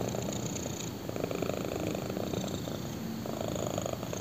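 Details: Low, even purr from a black kitten lying on a person's thigh, a continuous rumbling drone with gentle breath-paced surges.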